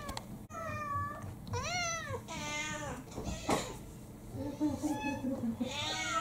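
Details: House cats, mixed breeds, demanding food first thing in the morning indoors; a run of overlapping rising and falling harmonic meows, some drawn out and wavering, with a person's voice and household knocks in between.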